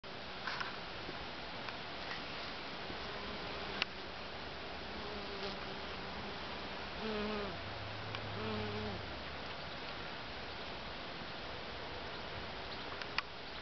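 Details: Honey bees foraging from flower to flower in a back wildlife garden by day, giving low droning wingbeat buzzes with stacked overtones that swell and fade as they pass, loudest around seconds seven to nine, over steady background hiss and occasional clicks.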